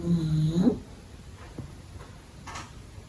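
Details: Pug puppy, little and young, sleeping indoors during the day; a single nasal snore with a whistled, wavering tone lasting under a second, then quiet breathing with faint soft clicks in a small room.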